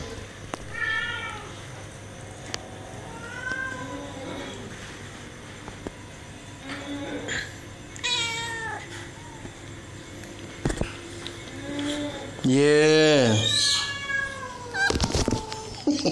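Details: Domestic cats with kittens being disturbed by another cat, Shakinyet; repeated arching harmonic meows every couple of seconds, building to a loud drawn-out cry near the end, with a brief human voice and household clicks.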